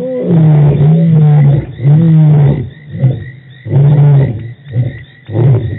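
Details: Deep lion roars at Djuma Game Reserve, March 24, 2018, given as a series of heavy low moans and shorter grunts, roughly one every second, with brief quiet gaps between them.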